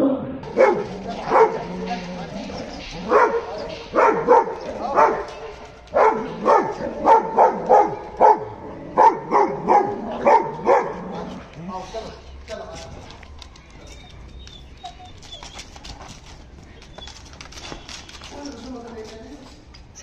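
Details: Pit bull and Dogo Argentino in a fight, with sharp repeated barks and yelps packed into the first half, then quieter scuffling, faint voices and scattered noises as the barking fades out.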